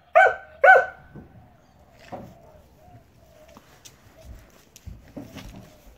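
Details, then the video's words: A dog said to bark all the time gives two sharp, harmonic barks in quick succession at the start, then a softer single bark about two seconds later, followed by quiet rustling and faint low noises. "annoying dog Just barks all the time ."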